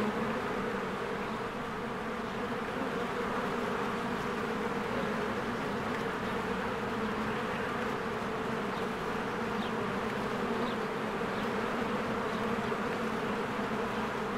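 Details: Many bees fly in and out of their hive in spring while flowers bloom. A dense, steady droning hum fills the whole stretch without pause, with faint high chirps, possibly birds, flicking in now and then.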